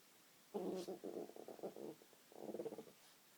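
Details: A female French bulldog makes low, throaty, pulsing pigeon-like coos because she thinks there is food on the table: a warbling burst over a second long, a pause, then a shorter burst.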